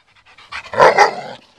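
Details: Solid black German Shepherd dog during preliminary bite-work practice, giving one short breathy whine. Tonal harmonics swell and fade over about a second.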